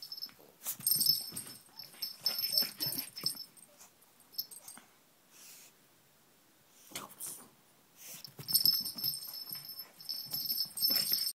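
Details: Pug mauling a pink toy rabbit: bouts of harsh wheezing snorts and snuffles, a quiet pause midway, then another burst of heavy huffing, with a thin constant high tone throughout.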